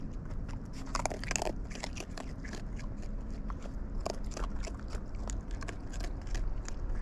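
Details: Wild raccoons eating at close range, with dense crunchy chewing and biting: rapid crackling clicks and crunches over a steady low rumble, with a louder burst of crunching near the second second.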